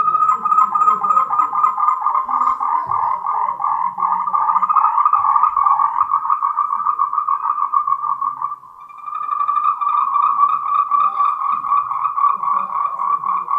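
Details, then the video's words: Mating call of Moltrecht's green tree frog, a Taiwanese endemic. It is a steady, rapidly pulsed mid-pitched trill that stops briefly just past eight seconds and then resumes without a break. "Tree frogs' mating call"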